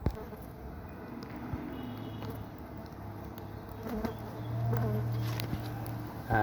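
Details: Stingless bees, taken from a tree by a collection method that avoids cutting it down, make a low, steady droning hum that grows slightly louder toward the end, with scattered clicks and rustling handling noise.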